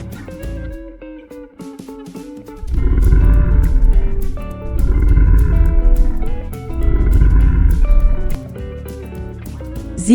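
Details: Only music is heard: plucked guitar and bass with a steady beat, and no animal voice.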